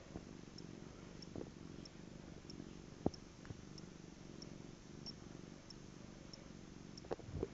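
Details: Cat purring; continuous low rhythmic rumble with pulsing breaths, occasional faint clicks, quiet room.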